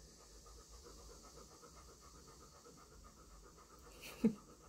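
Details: Milan, a female pet dog, sniffing intently with her tail between her legs after someone leaves the shower. Soft, quick, rhythmic panting at about four breaths a second runs throughout, with one brief louder knock near the end.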